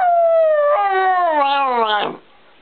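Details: Precious, a family's female dog, cries a sad, singing howl when the son she missed for three weeks drops off his bags and leaves again. One sustained tonal howl slides downward, wavers, then rises sharply before cutting off into silence.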